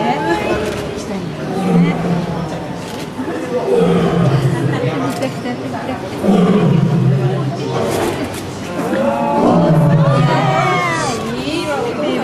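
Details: Lion family at Maruyama Zoo on 10 March 2008, with father Ricky putting up with his cubs' playful pouncing. Deep, moaning roar-like calls rise and fall several times, heavily overlaid by people talking in Japanese and background music.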